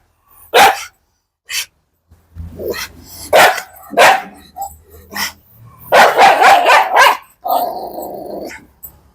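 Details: Dog giving loud, spaced barks mixed with rough growling, some barks doubled in quick succession, followed by a lower drawn-out growl at the end.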